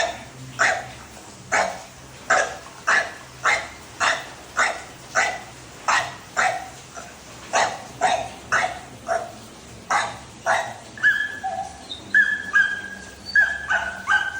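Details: Barking of Dhoni, a pet Labrador Retriever: loud single barks repeated roughly once a second and fairly evenly spaced. They grow softer toward the end, where thin, high whistling tones appear alongside.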